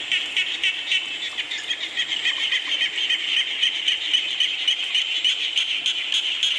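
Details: Frog chorus in falling rain: many overlapping callers make a continuous high, shimmering trill, pulsing several times a second without break.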